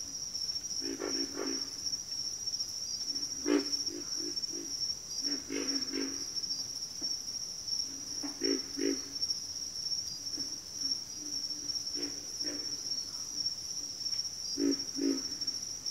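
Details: Frog chorus from a backwater, with low croaking grunts arriving in bunches of two to four, answered by other frogs across the span, all set against an unbroken shrill insect drone.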